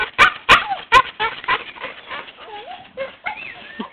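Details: A Staffordshire Bull Terrier gives sharp, hoarse yelps, then wavering, rising-and-falling whines, crying to get to another dog; the cries sound strikingly like a chimp or monkey.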